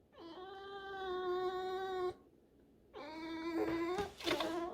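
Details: Tame fox in a room, stubborn and protesting, gives two long, steady, high squeaking whines of about two seconds each, rich in overtones, the second ending in a rougher, strained burst; a man speaks between them.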